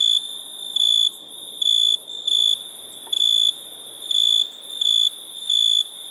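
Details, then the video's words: Crickets at night: steady high whistled tones, each lasting about a third of a second, pulsing roughly every 0.7 seconds at slightly irregular spacing over a soft hiss. "Relaxing Chirping Crickets"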